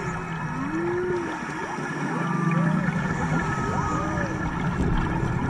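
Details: Humpback whales singing underwater during a March dive off Maui, close to the divers: smooth rising and falling moans and arched whistles, repeated several times, over steady water and boat-engine hiss.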